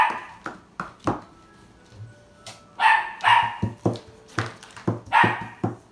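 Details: Yellow male Labrador Retriever giving short, sharp barks at irregular intervals, several in quick succession toward the end, with soft background music and a faint low hum throughout.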